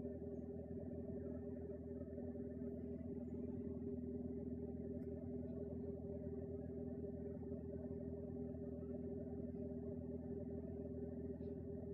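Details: A continuous droning hum with steady low tones runs throughout, like an engine or appliance indoors, with no meows or other animal voices.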